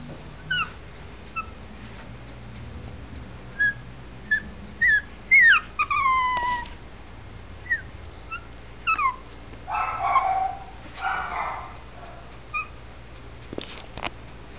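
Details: Male Shih Tzu puppy born in November 2011, kennel-bred, giving thin high whimpers and yips: short curved whining notes, some rising then falling, scattered irregularly about every half second to two seconds, with brief rustling bursts and a low steady background hum.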